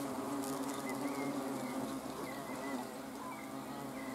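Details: Hornets on camera, 30 June 2020: a dense, even droning hum of several insects, strongest in the first two seconds, with faint short upward chirps scattered through it.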